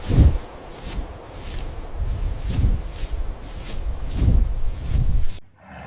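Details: Bear listed among animals of Taiwan, giving deep, low rumbling roars in four short heavy bursts spread across the clip, each swelling and fading, over a steady broad background hiss.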